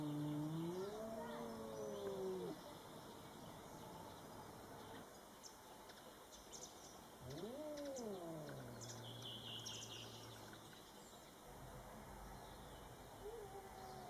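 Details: Cats Coco and Rocky meet a Bengal neighbour cat for the first time; two separate long, moaning meows about six seconds apart, each rising then bending down in pitch, with faint background noise between calls.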